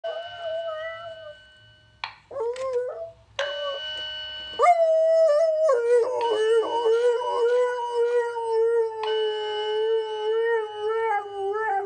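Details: Alaskan Malamute howling during a yearly fire alarm test, long wavering drawn-out tones that rise and fall, sung over the steady pitched tones of the alarm.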